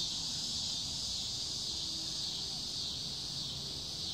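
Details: Cicada chorus in summer: a steady, unbroken high-pitched buzzing drone that holds at even loudness throughout, with no pauses or change in pitch.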